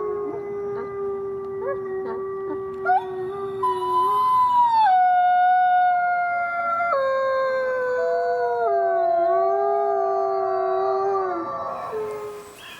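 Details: Chorus of wolves: one low, steady howl is joined by higher voices that glide and step between pitches, weaving several overlapping howls for about ten seconds before they fade out.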